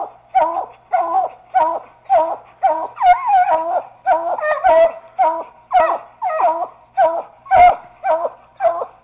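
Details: Young Treeing Walker Coonhound treeing at a caged raccoon, a Bluetick named Bobbi joining in: about fifteen sharp, ringing barks in steady succession, two or three each second, some with a rising yelp at the start, close and loud.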